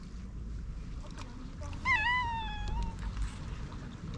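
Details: Stray cat, once cautious, now affectionate and rubbing close, lets out a single meow of about a second that dips and trails off, with low rumbling noise and faint clicks around it.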